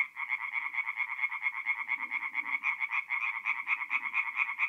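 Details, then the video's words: Night chorus of singing tree frogs at a forest pond in north-eastern Italy in mid-April, quick repeated rasping pulses from numerous frogs merging into one steady shrill din, a few low muffled croaks below. "relaxing forest pond by night with singing tree frogs"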